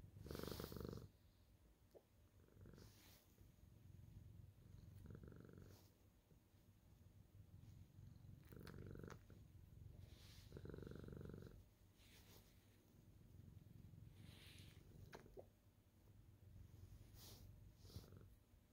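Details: Happy senior female tabby cat purring steadily while kneading, greeting her owner; low rhythmic rumble pulsing with each breath, louder swells around every few seconds, interspersed with soft scratching and fabric rustle.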